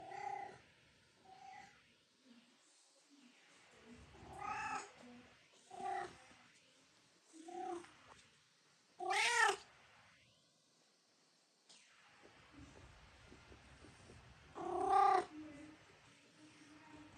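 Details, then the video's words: Several pet cats making a mix of short meows and chirping calls, tonal and harmonic, spaced a few seconds apart with quiet gaps between, one louder higher-pitched meow near the middle and another toward the end. "Cute and Funny Cat Sounds"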